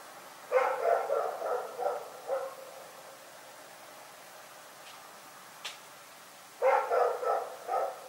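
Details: Rex, a dog, barking at night: a quick run of about five sharp, mid-pitched barks, a pause with a faint click, then another burst of four barks close together.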